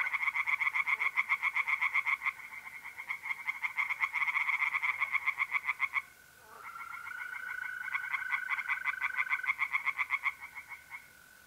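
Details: Pond tree frogs at night, mid-April, north-east Italy, giving long runs of rapid, grating croaks near four per second, briefly breaking off midway while mole crickets keep up a smooth, level trill underneath.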